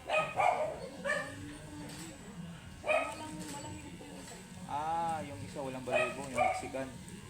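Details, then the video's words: Angry, matted Shih Tzu during grooming: a few sharp, short barks, then drawn-out wavering whining cries near the end, with human speech in the background. "Angry and matted shihtzu"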